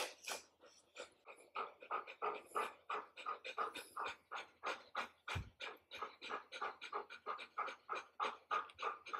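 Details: Adult golden retriever indoors, kept calm by its owner, pants rapidly and steadily at about three breathy huffs per second, each puff a soft broadband rasp, continuing evenly throughout without barks.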